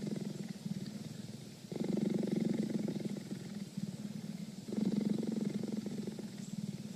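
A cheetah purrs in a deep, steady rumble that swells louder in two long surges.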